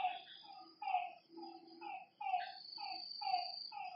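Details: Frogs at a lake at night call in short, clipped, hollow notes, several per second from overlapping callers, backed by a high steady insect hum.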